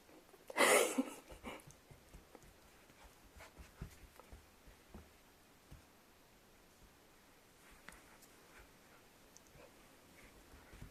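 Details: A sudden, short, hissing sneeze from Riku, a ten-month-old apricot Toy Poodle known to freeze after sneezing, comes near the start. Long near-silence follows, broken only by faint scattered clicks and light rustles.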